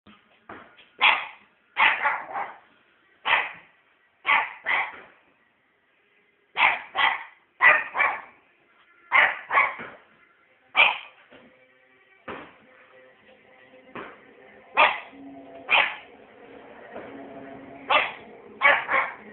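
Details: Pet puppy barking through bonfire night: sharp, bright barks in quick pairs and triplets, about sixteen across the stretch, with short pauses between bursts and a faint low hum behind.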